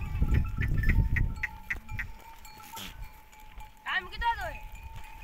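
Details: At sunset a herd of goats rests on desert dunes after foraging in the forest. A short pair of quavering bleats rises near the end, following low rumbling noise and scattered faint clicks, with a steady thin tone throughout.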